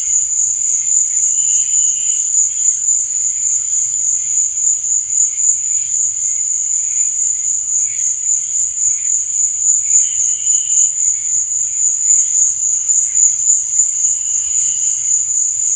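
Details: At night, crickets keep up a constant shrill, high ringing drone, while quieter lower chirping phrases surface briefly at intervals of several seconds against an otherwise silent background.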